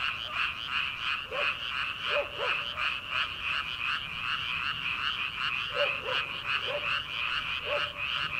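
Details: Rice-paddy frogs calling in early summer ahead of transplanting: a rhythmic, buzzy background chorus with clusters of clear croaks, a pair near the start and several more toward the end.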